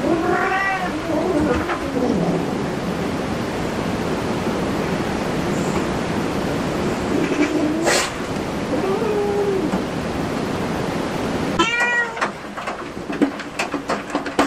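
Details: Cat at a cat cafe giving a few drawn-out meows, two near the start and a rising-falling one later, softer ones between, over a steady rumbling background noise.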